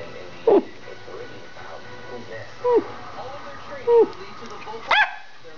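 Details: Two Schipperkes indoors, barking while running through the house: four sharp single yaps spaced roughly a second apart, the last one higher and louder, over a quiet room hum.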